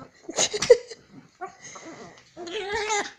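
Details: A female Chihuahua play-growls while rough-housing with her owner's hand in an evening ritual before bed, giving short, rough, snarly bursts, then a wavering whine-like cry near the end. Her owner says she sounds like a crying baby.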